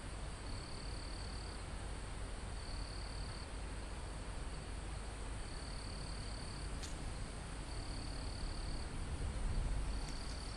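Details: Crickets and insects high on a forested mountain, recorded live: high trilled bursts repeating at uneven intervals, one sharp click near the middle and a brief low rumble near the end, all over continuous wind noise in the trees.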